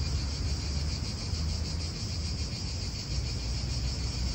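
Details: Italian park cicadas buzz in a dense, steady high band with quick regular pulsing, against constant low rumbling wind and car sounds.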